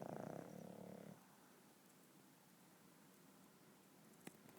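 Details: Pugs snoring: a single rough, buzzing snore in the opening second, fading into quiet breathing and faint room noise, with a small click near the end.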